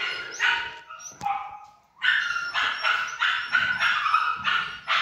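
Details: Pomsky cross Samoyed dog giving high, sharp yapping barks: a few scattered yips early on, then a brief quiet, then a rapid run of bright, rasping yaps from two seconds onward.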